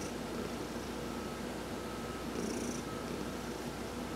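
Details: Heidi, an adopted domestic cat, purring while being massaged during a sun bath on November 19, 2020; a steady low rumbling purr with a brighter surge near the middle of the breath.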